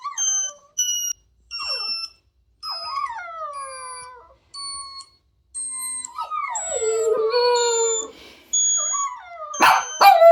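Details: Two Jack Russell Terriers howl in reaction to funny noises; steady electronic beeps alternate with wavering, falling dog howls, which grow longer and louder toward the end, with a burst of yips.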